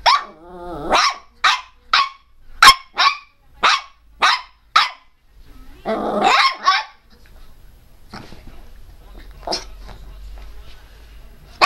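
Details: Teco, a pet Pinscher, barking fiercely and loudly: a quick series of about nine sharp high yaps roughly every half second, then a harsh rasping outburst, followed by quieter scattered yaps against a low hum.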